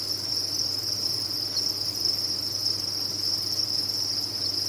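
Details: Farmed crickets in large numbers producing a continuous, bright, high chirping drone, level and unchanging, with a low background hum.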